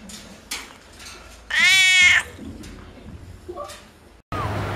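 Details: Domestic cats and kittens: one loud, drawn-out harmonic meow lasting under a second, followed by faint sounds and another cut with background noise.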